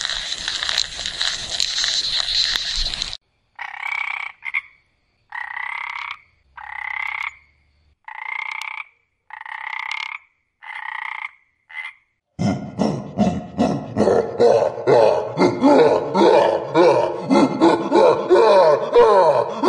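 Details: Frog calling: a regular series of short, nasal, harmonic croaks about once a second, followed by a dense chorus of overlapping rapid croaks from many frogs, preceded by a brief burst of a different rough sound.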